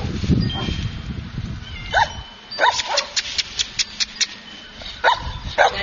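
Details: Chinese Shar Pei puppy giving short, high yips that rise then drop, in two pairs separated by a quick run of sharp clicks, with music fading out at the start.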